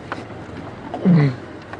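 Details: A lion, possibly one of the Birmingham pride males, gives a brief, deep moaning contact call close by against a quiet background on an early-morning safari drive at sunrise, 27 September 2016.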